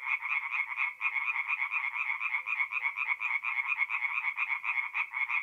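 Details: Tree frog chorus from a forest pond at night, mid-April, north-east Italy: steady, rapid pulsed croaking from several frogs, rising and falling slightly in loudness throughout.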